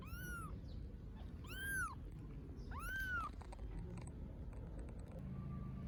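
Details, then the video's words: Hungry stray kittens in Istanbul meowing for food: three clear, high, arched meows about every 1.3 seconds, over steady low rumbling traffic noise, with faint clicks afterwards. "Little kittens meow because they are so hungry"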